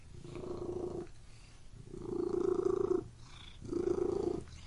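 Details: Domestic cat purring in three long rounded bursts, each about one second, with quiet pauses between, a steady low rumbling pulse throughout each burst.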